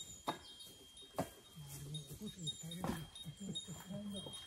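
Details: Great Pyrenees Alain, a male born in 2014, uneasy as firewood is carried into his territory: low, drawn-out whining moans in several wavering tones over the last three seconds, after sharp knocks of wood near the start.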